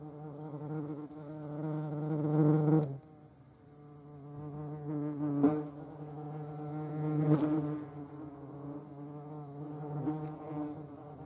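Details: European hornet (Vespa crabro) in the Eifel, Germany: deep continuous wing buzz with rich overtones, rising and falling in loudness as it flies close, interrupted by a few sharp clicks or knocks.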